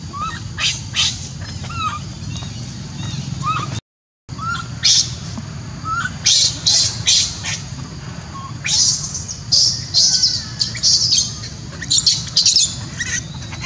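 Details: Newborn monkey at Angkor Park, Siem Reap, screaming after its mother leaves it alone. Piercing, raspy high shrieks come in rapid irregular bursts, with a brief silent gap near the start, short whistled bird notes and low background rumble.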